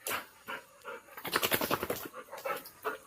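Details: Pet Labrador Retriever named Golden, from the village of Kalsuli, frightened after dad picked up a stick: quick breathy panting, a few spaced puffs and then a rapid run of short rhythmic breaths.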